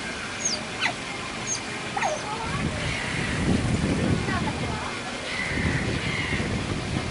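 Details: Noisy Asian small-clawed otters at Adventure World zoo, around 31 December 2011 to 1 January 2012, give sharp, high squeaks that slide steeply downward, over a steady murmur of background noise and human voices.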